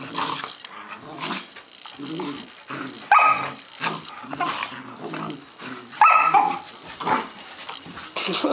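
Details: Play fight between a 2-month-old Dalmatian puppy and a 5-month-old German Shorthaired Pointer puppy, his older sister: low grumbling growls punctuated by two sharp high yelps, about three seconds apart.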